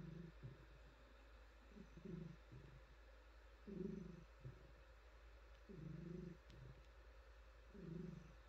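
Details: Female domestic cat purring while being petted and stroked on her soft fur, a low rumbling purr swelling in bursts about every two seconds with quiet gaps between breaths, faint rustling of hand on fur.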